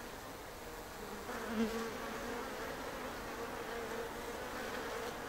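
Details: A hive of Japanese honeybees (Apis cerana japonica) hums from a shed ceiling in Japan on day three of observation. The colony gives a continuous buzzing drone with a steady mid-pitched hum that swells briefly near the middle.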